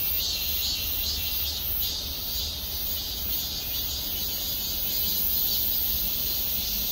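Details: A cicada chorus sings from trees above the Gwangmyeong City Hall parking lot. A continuous shrill buzz swells and eases in quick pulses, about two per second, with a faint low hum of traffic beneath it.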